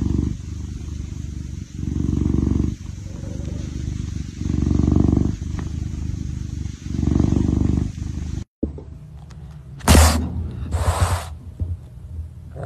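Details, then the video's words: Kitten purring in rumbling bursts that rise and fall with each breath, about every two seconds for eight seconds, then a short break followed by scattered rustling and handling noises. "RONRONEO gatitos"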